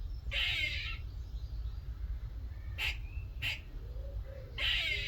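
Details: A little squirrel visits a workshop one morning and calls in rough, hissing bursts of chatter, with quick sharp clicks in the pauses between them, over a low steady hum.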